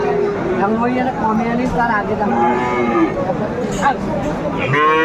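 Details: Cattle calling at Aftabganj market, Dinajpur, Bangladesh, 17 April 2024, where Friesian and cross-breed bull calves are traded: several short wavering moos in succession, mixed with people talking and crowd noise.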